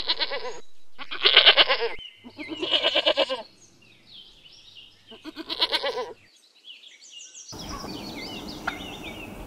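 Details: Goat bleating in three loud, wavering, quavering bleats with rich harmonics, separated by short pauses, before a different noisy sound takes over near the end.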